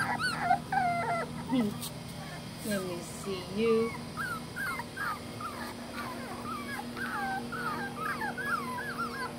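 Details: July 2020, Tampa, Florida: household dogs whine in thin, curling squeaks, sparse at first and then a dense chain of quick rising-falling whimpers through the second half, with a person's voice briefly near the start.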